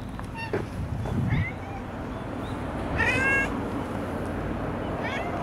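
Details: Long-haired brown tabby cat living in a park with a family of tabbies, meowing while being stroked: several short harmonic meows, one longer rising-falling mew near the middle, low rumbling background noise.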